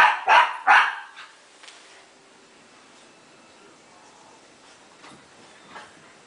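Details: Young Shiba Inu, Tako, in a tag game with a Pekingese called Bobby: a quick pair of high, punchy yaps right at the start, then mostly quiet with faint scuffling.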